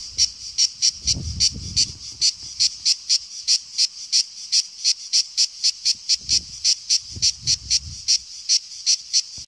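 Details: Cicada singing in summer, shrill and deafening; high rasping pulses repeated about three times a second, with low thumping noises in the background.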